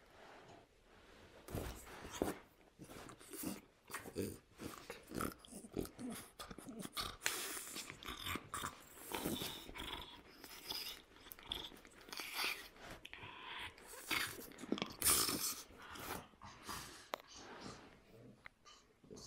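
A French Bulldog talks in a steady run of grumbling, snorting growls and whiny yowls.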